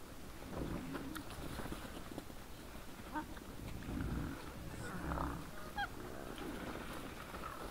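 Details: Several wild boars in front of a trail camera on 17 December 2022 at 20:17, giving low rough grunts in bursts with a few brief higher squealing notes amid steady background hiss.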